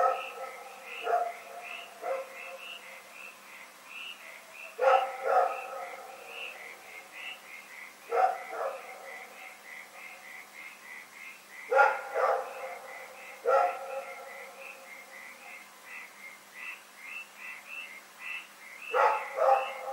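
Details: Rex the dog barks through the night on February 27, 2018, with harsh, resonant barks, often paired, recurring every few seconds. Rhythmic high chirps pulse steadily underneath.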